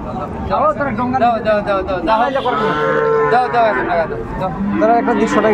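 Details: Sahiwal bull calves at Ambari Haat cattle market, Dinajpur, on 11 March 2024 at the start of Ramadan: a drawn-out, steady moo near the middle, amid lively human chatter and shouted voices of a busy market crowd.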